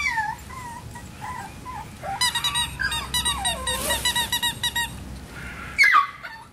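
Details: Male Miniature Schnauzer puppy, born on 18 May, gives high squeaky whines that waver and slide in pitch. A run of rapid pulsed squeals comes in the middle, and one sharp squeal near the end.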